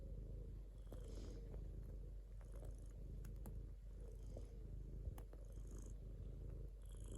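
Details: Domestic cat purring: a steady low rumble with pulsing vibration held throughout, plus faint clicks and soft high rustles above.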